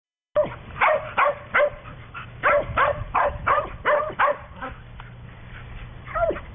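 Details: Playful little female dog, probably a quarter chow with the rest a smaller breed, maybe sheltie, giving a rapid run of sharp barks, about two or three a second, then a few softer yips and a low whine at the end.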